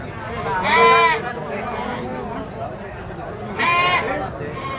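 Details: At a goat market, young kids give two strong, trembling bleats about three seconds apart, each roughly half a second long, with people's conversation murmuring beneath.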